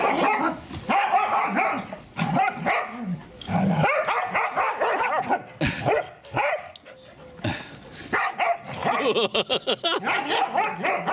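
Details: Daisy, a female English Springer Spaniel, tries to coax her son and daughter into play with a dense run of excited, yappy barks and whines, bursts tumbling over one another, while people talk and laugh nearby.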